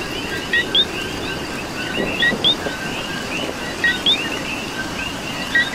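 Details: Coqui frogs calling in rain in Puerto Rico: a dense chorus of short chirpy notes, with a loud two-note 'co-qui' pair, low then higher, standing out a few times over steady rain patter.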